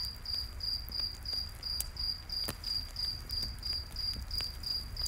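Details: Crickets chirping at night in a forest by a campfire, a regular high-pitched pulse roughly three per second, punctuated by a few loud fire pops and a steady low rumble.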